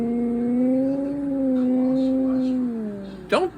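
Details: Male Siberian Husky howling indoors, persisting until his owner gets up; one long, steady, level-pitched howl held for about three seconds, dipping slightly at the end, followed by a brief sharp squeak.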